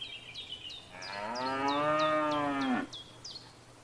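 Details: A cow in a field, recorded among grazing cattle, gives one long moo of about two seconds. It rises slightly and then falls. A bird repeats short, falling chirps before and after the moo.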